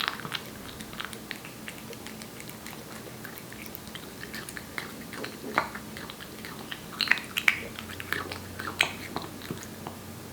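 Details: Korean Shorthair cat Aeppi, one year old, eating wet food: rapid irregular wet clicks and licking smacks, growing louder and denser toward the end, with a faint low hum in the room.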